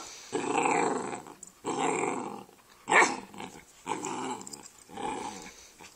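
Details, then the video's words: Rascal and Atom, two brother dogs on a couch, grumbling back and forth: five drawn-out, rumbling growl-like vocalisations of about a second each, separated by brief gaps, with one sharper yelp-like burst in the middle. "Rascal and Atom on the couch talking"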